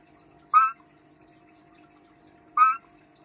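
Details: Cranwell's horned frog; mating call; male courting a female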